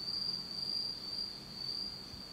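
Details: Insects trilling in total darkness on an autumn night in Japan: a clear, piercing high note sustained without break, softly swelling and fading.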